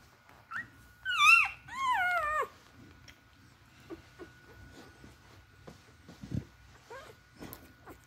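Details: Newborn puppies drinking milk from their mother: two loud, high, wavering whimpering cries with rich harmonics early on, followed by softer scattered squeaks, sucking clicks and snuffles, with a constant faint electrical hum in the background.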